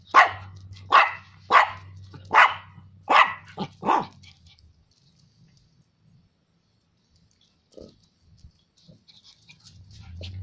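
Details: A Chihuahua afraid of a stink bug still barks at it: six quick, piercing yaps over about four seconds, then near silence with a faint thud and a low hum returning at the end.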